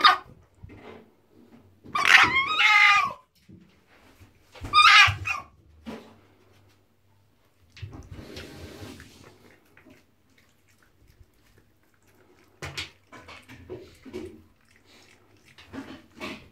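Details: Guarding a piece of soap in the bathroom, Tiki the female fox, kept as a pet, gives two loud, drawn-out, harmonic whining screams a couple of seconds apart, then softer rustling and scattered brief cries.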